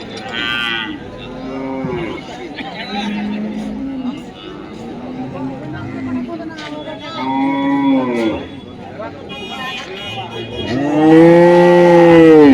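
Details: Several cattle at Dhaniakhali's weekly Friday market low in turn: short moos through the middle, then a loud, full, curving bellow at the close, all amid people talking.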